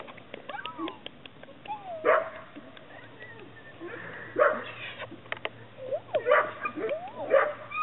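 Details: Chesapeake Bay Retriever puppies whining and yipping in short bursts, several rising and falling squeaky calls spread across the stretch, with clicks and handling noises between them.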